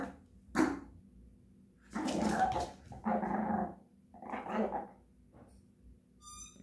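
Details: Japanese Chin dog 'singing' with a sharp yelp followed by three sustained, rough, warbling howl-like phrases of under a second each, then a brief high squeak near the end.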